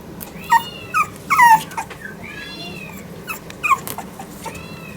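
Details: Female French Bulldog puppy, born 24 October 2021, at the Hiramatsu Kennel pet shop in Yokosuka, Kanagawa, Japan: short, high, falling whimpers in quick bursts of two or three, with softer arched whines in between.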